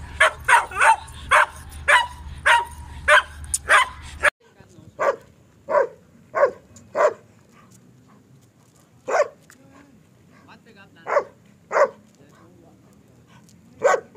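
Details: German Shepherd barks from a Peshawar kennel: a fast run of loud, repeated barks first, then, after an abrupt cut, slower single barks every second or two over a quieter background.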